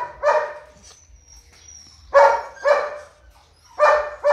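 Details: Purebred large-line Rottweiler barking: deep, rough barks in pairs, one pair early and two more later in the stretch, separated by quiet gaps, with a faint thin whistle-like tone between them.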